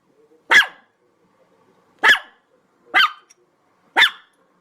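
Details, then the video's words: A dog barks four times, each bark short, sharp and loud, with pauses of one to one and a half seconds between them in an otherwise quiet setting. "SOUND OF DOG BAGGING BARKING DOG"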